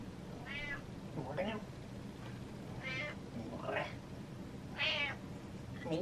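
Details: A pet cat wanting attention meows repeatedly, about one call per second, alternating between higher whining meows and lower ones, with a woman talking softly in a small room.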